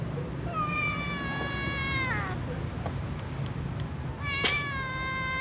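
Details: Several cats, a little cat and a tom, calling before eating: two meows, the first a long level cry that bends downward at its close, the second starting after a sharp click, with steady low hum beneath.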